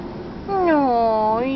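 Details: Kitten filmed in August 2011, with its mother cat nearby, giving one drawn-out meow about a second long with a slightly falling then rising pitch and clear harmonics, in a small indoor room.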